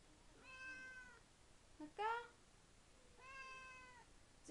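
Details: Tigroo, a male domestic cat, showing excitement at mealtime indoors: two drawn-out, harmonic meows about three seconds apart, each slightly rising then falling, with a short sharp squeak between them and a woman talking softly nearby.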